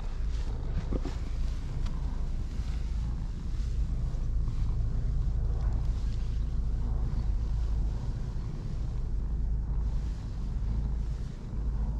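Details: Only steady low rumbling wind or engine-like noise is heard, with no clear animal voice.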